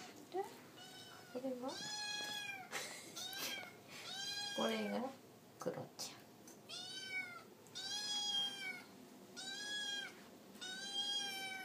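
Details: Hiroshi, an orange tabby kitten, meows for food at mealtime while eating alongside two other cats. A run of high, arching meows with rich harmonics repeats about once a second in bursts. Voices and soft indoor clatter fill the gaps.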